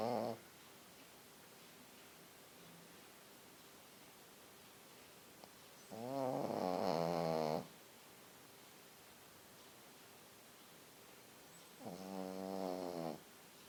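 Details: A small white Pekingese dog snoring while asleep indoors. A rasping snore opens the clip, and louder buzzing, rattling snores follow at about six and twelve seconds. Long quiet stretches lie between the snores.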